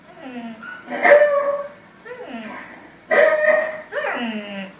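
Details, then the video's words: A Samoyed howling at the TV indoors: short, wavering, falling tones that slide downward, in three bursts over about five seconds, mixed with television voices. "Samoyed howling at tv"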